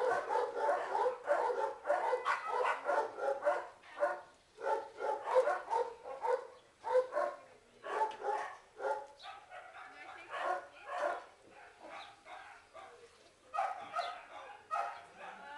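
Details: Terrier mix puppies, two 8-month-old males of a big Stafford-like terrier type seeking adoption, bark steadily, about one to two barks per second, in clustered volleys that thin out toward the end.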